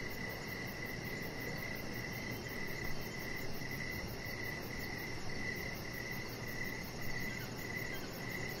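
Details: Crickets on an evening deck lit by decoration lights give a continuous run of evenly spaced chirps, close to two per second, with high fast ticking above and a steady hiss beneath, plus a few soft bumps.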